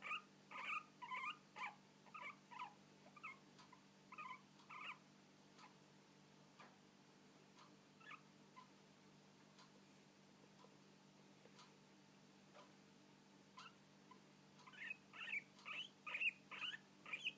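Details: Hiccups from guinea pigs, heard as brief squeaky bursts in quick clusters at the start and again at the end, with a quieter stretch of sparse, faint clicks in between over a low steady hum.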